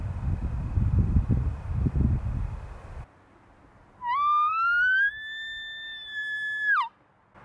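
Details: Bull elk bugling during the rut: a clear whistled note climbs, holds high and steady for about two seconds, then drops sharply at the end. It follows a stretch of rumbling outdoor noise.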